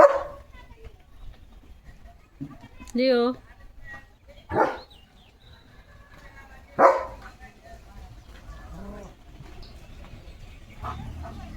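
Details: Leo, a German Shepherd, gives a handful of loud, harsh barks spaced a few seconds apart, mixed with a man speaking Marathi and some low background rumble.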